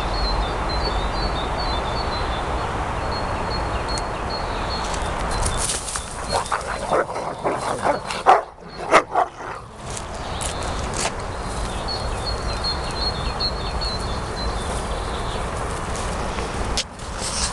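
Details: Two young Rottweilers, aged 7 and 17 months, growl and snarl while fighting: rough, low, broken rumbles and sharp bursts of aggression.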